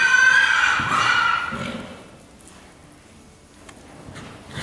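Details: Ryleigh the horse, running around an arena, gives a loud high whinny that wavers and falls over about one and a half seconds, then quieter hoofbeats and arena noise follow.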